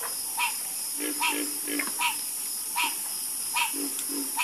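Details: Frogs croaking in chorus: bright, nasal croaks repeated roughly every half second to second, with softer lower croaks between them and a constant shrill background hiss.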